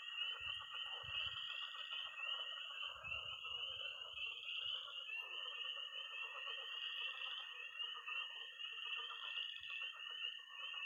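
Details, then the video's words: Missouri pond chorus of tree frogs, frogs and toads after dark in early spring, heard as a constant high-pitched peeping wall over busy, grainy croaking, with a few low bumps early on. "20 minutes of toads and frogs"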